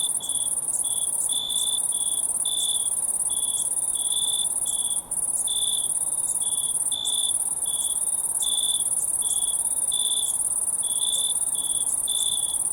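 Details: Night-time crickets keep up a continuous high-pitched ringing drone, layered with brief chirps that come in loose clusters of two or three. The chorus stays even throughout, with no voices or other animals.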